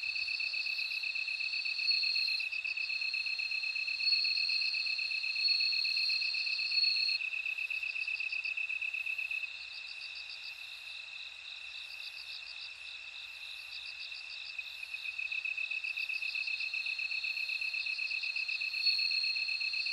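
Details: A bell cricket chorus rings continuously: a high, steady shrill tone underlies bursts of fast tinkling pulses that come and go. A fainter, higher chirping repeats regularly above, and the whole chorus softens for several seconds mid-clip.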